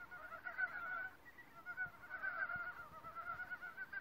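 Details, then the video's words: In a forest, frogs trade rapid rattling croaks, two or three pulsed trains overlapping with a short gap between bursts; faint low background noise. "(feat, Frog) Secret talks of forest fairies and chorus"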